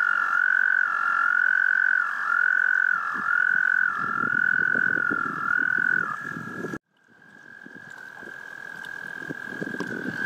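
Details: Courting frogs sing a high, continuous trill broken into long phrases of about a second, each dipping briefly at its end. An abrupt cut follows, then a quieter trill resumes over soft rustling background noise.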